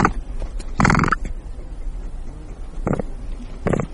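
A capybara gives short, rough grunting calls, spaced irregularly over a few seconds.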